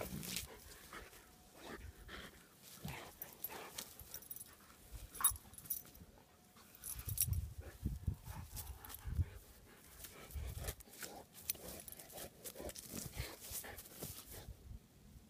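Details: English Mastiff named Bella at play with a rock, giving low grumbling vocal bursts and a few soft whine-like sounds between clattering, scraping knocks and rustling handling noise.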